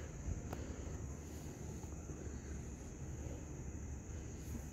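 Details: Quiet outdoor background of wind buffeting the microphone under a steady high electronic whine, with no animal voice.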